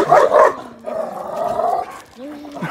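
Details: Pitbull chow chow mix dog barking aggressively and acting territorial toward a much smaller chihuahua: two quick harsh barks, then a drawn-out tonal whining growl, ending with a short higher steady tone.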